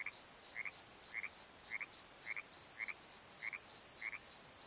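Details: Crickets singing at night in a Pozo valley bottom, Nikon D7100 recording: high piercing pulses about three per second, joined by a lower double chirp repeating roughly every half second.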